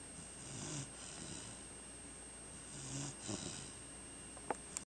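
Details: A chocolate Labrador Retriever bitch called Ocean, asleep at home, snoring softly. Several gentle, rough inhalations with a low rumble, irregularly spaced, then a couple of small clicks near the end, all over a low household hum.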